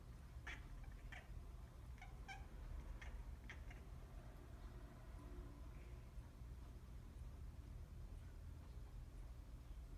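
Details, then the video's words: A cat that has spotted a bird makes quick, clipped chirping bursts, about eight in four seconds, then falls quiet under a steady low rumble. "Funny cat make noise when see a bird"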